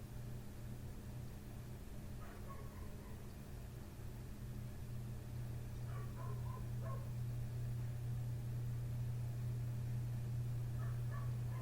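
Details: Next-door neighbour's dog barking right outside a window in the middle of the night, between 1:30 and 3 am, with short harmonic barks in small bursts, muffled and distant over a steady low droning hum.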